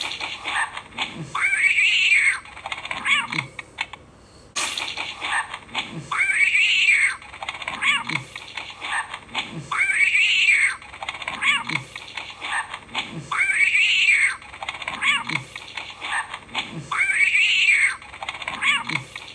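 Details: Cat meows looping again and again, a drawn-out arched mew rising then falling, returning about every three and a half seconds, over a steady hiss and clattering taps like keyboard typing.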